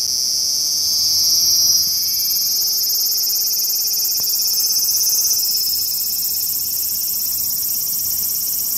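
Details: Large brown cicada, Graptopsaltria nigrofuscata, filmed 18 August 2020, giving a continuous high frying buzz that swells briefly early on; a faint low steady hum with rising overtones runs underneath.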